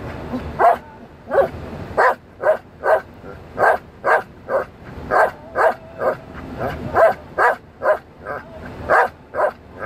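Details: Belgian Malinois named Dale singing along to songs: a run of short, tonal howl-like vocal bursts repeated roughly twice per second, each a rising-falling syllable with faint music underneath.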